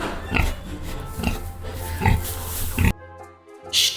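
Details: Farm pig grunting: short, low, rough grunts repeated at uneven intervals of under a second, over steady background music, ending in a brief quiet gap and a final burst of sound.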